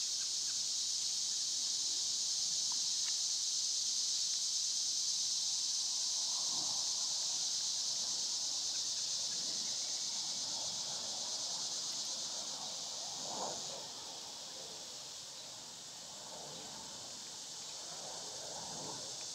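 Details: Summer cicadas in an outdoor setting with birds and squirrels: a steady high buzzing drone continues while softer scattered rustles and brief lower sounds appear underneath, the buzz fading slightly toward the end.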